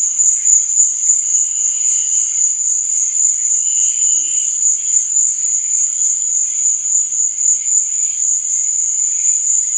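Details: A steady high ringing chorus of night crickets, shrill and unvarying, with gentler lower chirps pulsing irregularly beneath and a short distinct trill early on.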